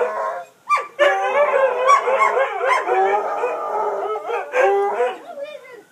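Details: Pet dogs howling in response to sirens in the wind, a short stretch of layered wavering howls after a brief pause, with quick yelps and whimper-like slides fading out at the close.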